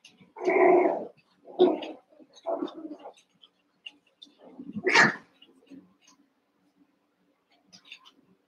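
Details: Young Cavalier King Charles Spaniel puppies wrestling and playing together in a pen, eight in all, giving a few loud rough growling yelps in short bursts, then a sharp cry near the middle and faint squeaks trailing off.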